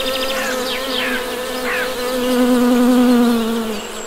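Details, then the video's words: Loud, close honey bee buzzing that swells and then fades, its pitch bending slightly upward midway, with a few faint bird chirps behind. "Best Honey Bee Sound!"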